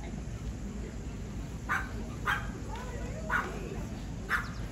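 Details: Dog at the Summer Mountain Cluster all-breed show, NOHS Non-Sporting Group judging, Allegany County Fairgrounds, Cumberland, Maryland, August 17, 2024: four sharp, short barks spaced about a second apart over a steady murmur of crowd noise.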